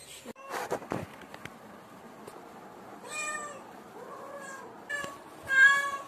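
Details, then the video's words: Cat and kitten calling, the kitten shouting whenever it feels insecure. Clicks and handling noise open the recording, then several wavering meows, the last one loud and sharp. "Cute Cat and lovely Kitten Voice"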